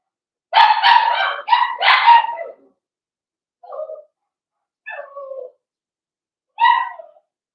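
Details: Blenheim Cavalier King Charles Spaniel puppies, litter of five born to Paris and Spike, in a home puppy pen: three quick loud barks run together, then softer scattered yelps and one final bark.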